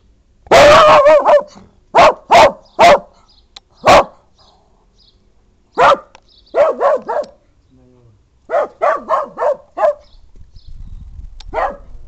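A dachshund barks angrily in sharp, clipped bursts, some singly and some in quick runs.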